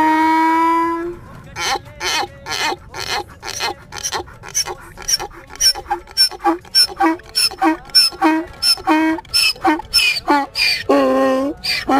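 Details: Donkey. A donkey gives a loud bray. It opens on a sustained honk, then breaks into rapid, rasping hee-haw pulses about three times a second, ending on a deeper, drawn-out haw.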